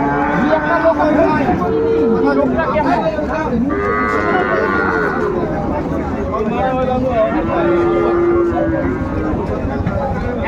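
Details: Cattle market in Mymensingh, Bangladesh, on 14 January 2025, with small bull and heifer calves for sale; repeated bellowing moos come from several animals, some short and some drawn out, amid constant talk and crowd bustle.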